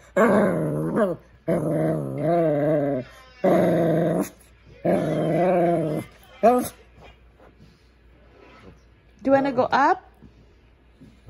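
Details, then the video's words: Shih Tzu dog indoors trying to talk to its owner: several wavering, warbling growl-moans of one to two seconds each, alternating with a woman's questioning speech and short yips. "shih tzu talking"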